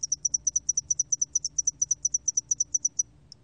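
A spotted-wing hairy cricket sings a high, thin series of rapid, evenly spaced pulses.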